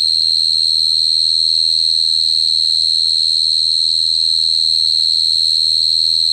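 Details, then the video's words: A cricket's continuous shrill song: a bright, level, ringing tone with a quick pulsing texture, sustained without pause, over a faint low background hum. "Cricket sound effect(cricket sound)"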